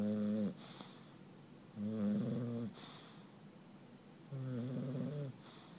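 An English Bulldog snores in deep, rumbling bursts about every two seconds.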